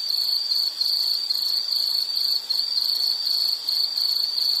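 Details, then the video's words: Shrill, unbroken insect trill in a nature soundscape. Fast pulses run in short clustered phrases at a constant high pitch, with small dips in volume. Otherwise quiet. "Sound · Nature Sound of nature sounds scenery L · insect"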